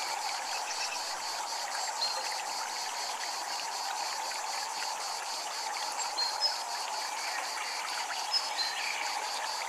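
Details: Japanese temple ambience with cicadas: a continuous shrill buzz pulsing in rapid, even beats throughout, laid over a steady rushing background like running water, with only a few tiny high clicks.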